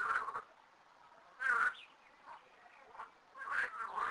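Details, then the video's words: Frogs in two small garden ponds, about 13 frogs, call in a chorus of harsh, quacking bursts repeated at irregular intervals. "Froschkonzert an unseren 2 Biotopen"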